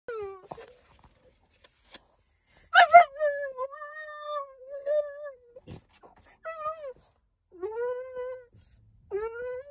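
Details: A French Bulldog that has seen other dogs gives drawn-out, wavering whines and whimpers instead of barks.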